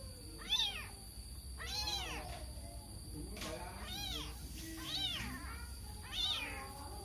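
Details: Lost kitten calling for its mother with five loud, high, arching meows spaced about a second apart. Each meow rises and falls, over a low steady background hum.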